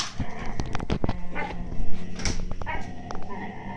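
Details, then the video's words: Two Siberian Husky puppies, 8–9 months old, give low, rumbling growls while squabbling over an empty food bag, with crinkling and scuffling throughout. "Husky Puppys growls over a empty foodbag"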